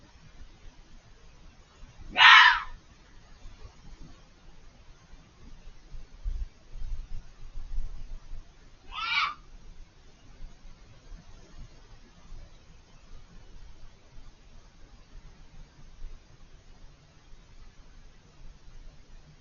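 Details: A fox screaming from behind a hedge, out of sight and very vocal for over five minutes: two harsh, hoarse shrieks about seven seconds apart, each under half a second, over a quiet background with faint low rumble.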